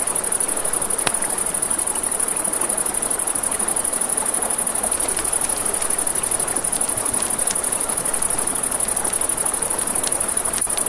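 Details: Crickets at night beside a river, giving a steady high, rapidly pulsing chirp that never stops, over a broad hiss of flowing water and crackling campfire pops, with a few sharp snaps from the flames.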